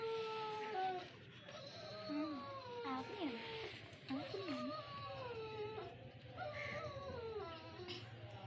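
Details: Siberian Husky puppies in Lahore, Pakistan, producing a series of wavering, falling howls and short dipping whines over a steady background hum, with quiet human voices nearby.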